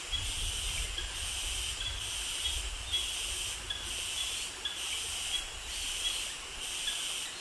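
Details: Cicadas and crickets calling in tropical jungle near mangroves in Krabi, Thailand; a steady high-pitched hiss-like chorus with bands pulsing roughly every 0.7 seconds, plus faint low rumble.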